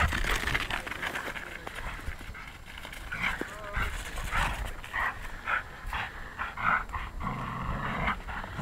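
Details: Labrador Retriever, a city dog in Vilnius, disagreeing with an old friend over who keeps a stick; soft whining and whimpering notes in short bursts, with panting, scuffling and a human voice in the background.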